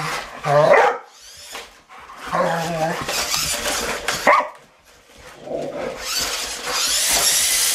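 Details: Rottweilers playing with a remote control truck, giving rough growling bursts and short barks in several separate spells, with a person talking to them in between and a hissing noise toward the end.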